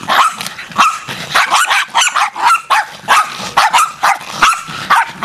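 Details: Feral Jack Russell terriers on the attack as a pack: dense, overlapping high yapping barks repeated roughly twice a second, loud and relentless with no pause.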